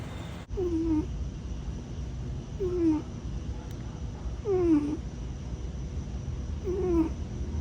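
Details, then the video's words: Grey tabby foster cat Tiger, a warehouse rodent-control cat who may be longing for his missing brother Buddy, gives four thin, falling, whining squeaks roughly two seconds apart, each with fainter upper tones, against a low indoor hum. "Foster Cat Snoring or Longing For His Missing Brother?"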